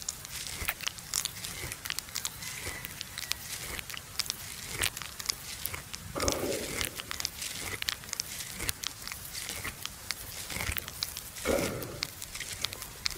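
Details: Noon in a farmer's field, where a buffalo lies resting and ruminates. Dense crisp crunching and tearing clicks run almost continuously, with two brief louder rustling bursts partway through.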